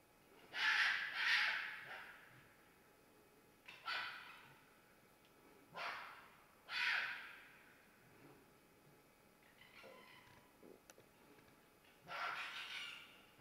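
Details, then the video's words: Fox screaming during mating season: harsh, hoarse, broadband cries in irregular bursts, a double cry first, then single screams spaced about two seconds apart, with quieter rasping notes between. "Fox Screams"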